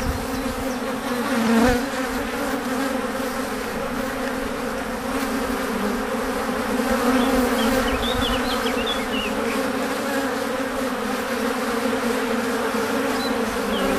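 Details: Many honey bees arriving back at the hive laden with pollen and nectar: a deafening, unbroken droning hum, layered wingbeat tones steady throughout, occasional single bees whining closer, faint bird chirps in the background.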